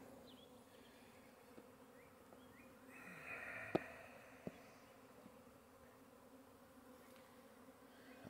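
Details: A swarm of western honey bees near a hive in scrub oaks fills the air with a steady, low droning hum of many wings, recorded in April 2022 the day after an earlier swarm, as scouts investigate a lemongrass-baited swarm trap.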